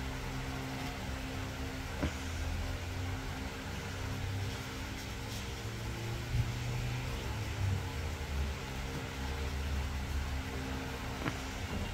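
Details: Steady low mechanical hum like a fan or distant engine, with a few faint clicks.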